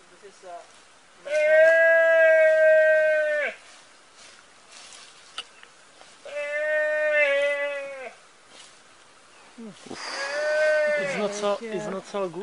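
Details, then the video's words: Calf screaming while being eaten alive by Komodo dragons during a live feeding. Three loud, harmonic, bleating cries of about two seconds each, separated by quiet gaps; the last one is wavering and broken. "Komodo Dragons eating a calf alive Screaming"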